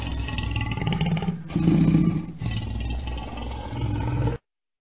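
A lion gives a deep, rough roar that swells into a louder, grating burst before fading.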